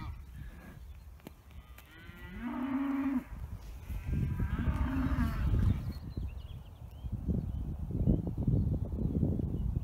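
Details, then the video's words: Dexter cattle calling in the morning for fresh grazing; two medium moos, rising slightly, over heavy low rumble and handling noise, then mostly background rustle. "Cattle sing for new grass"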